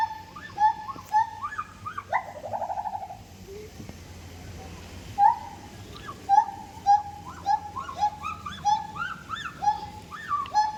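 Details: Siamang calling in a busy sequence: a loud rising, then falling, buzzy swoop and a fast trill, followed by a dense run of hoots and higher looping whoops that grow quicker toward the end.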